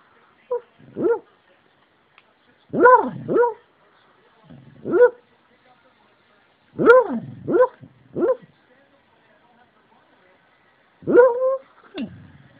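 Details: An 8-year-old rescue Beagle, a deep sleeper, sleep-barks with muffled, bending woofs and short baying yelps in scattered bursts while a light comes on.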